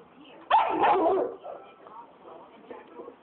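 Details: Black phase wolf hybrid, angry at a Saint Bernard that stole its bone, gives one loud harsh bark-growl lasting under a second, followed by faint low murmurs and quiet background noise.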